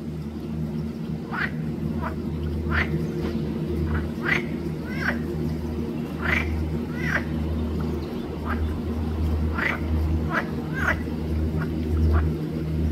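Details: Green frog (Pelophylax) at Arboretum Volčji Potok on 5 June 2024, giving a run of short, harsh, quacking croaks about one per second, some doubled, over a steady low hum.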